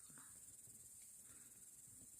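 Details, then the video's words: Crickets by a campfire on a warm August evening in the Urals, at the end of the local velvet season. A steady, high, shimmering chorus runs unbroken over a soft, low murmur. "сверчки и костёр"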